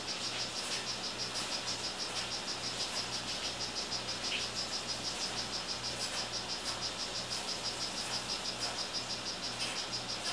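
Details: Male strawberry poison-dart frog of the 'Rio Guarumo' form, a kept frog, calling: a steady train of short, high buzzy chirps, about three per second, running throughout over a low constant hum.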